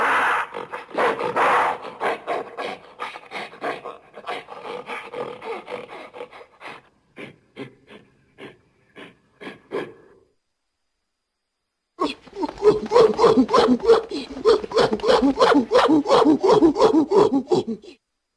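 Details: Gorilla producing harsh, regular panting grunts, tapering into sparse quiet pulses, a pause of about two seconds, then a loud rapid burst of raspy breaths.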